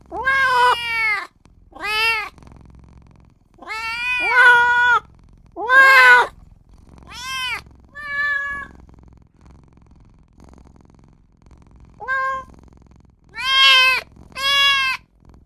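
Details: Newborn kitten crying for its mother and owner; a series of high, harmonic mewing cries, each under a second, about ten in fifteen seconds, some rising then falling, with quiet gaps and faint low background hum between.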